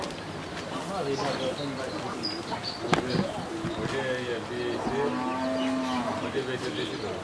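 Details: Crossbred Friesian heifer calf, 11 months old, at a farm in Pabna, Bangladesh, gives a long, steady, low moo midway through, with softer lowing before it, amid background chatter and cooing birds.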